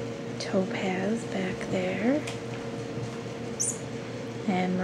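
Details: Ten-week-old RagaMuffin kittens indoors make several brief, squeaky mews with upturned and arched contours, scattered over about five seconds, alongside a constant low hum and faint room noise.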